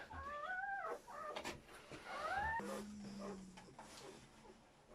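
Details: During a German Shepherd's labour with seven newborn puppies, two thin rising whines sweep upward, one at the start and another two seconds later, followed by a low steady hum and quiet room noise.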